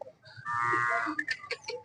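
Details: Hallikar cattle at the Jodugatte cattle market, held every Sunday: one drawn-out, richly harmonic bellow lasting under a second, followed by short clipped sounds and market chatter.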